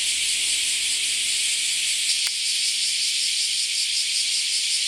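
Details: A dense chorus of cicadas forms a constant high, hissing buzz, broken only by a single sharp click a little past the midpoint.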